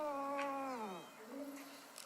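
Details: Sleeping domestic cat talking in its sleep: one drawn-out, smooth, tonal murmur that holds steady and then slides down in pitch near the end, followed by a softer, short, low mumble in a quiet room.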